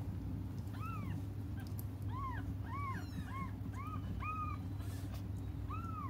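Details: Cats crying while they wait for their mother: a run of short, arched mews, each rising then falling, repeated about every half second to second, over a steady low hum.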